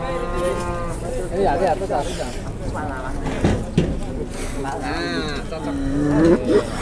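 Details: Very large cattle in Indonesia, sold on arrival: a low drawn-out moo, rising slightly, near the end, with people talking earlier and throughout.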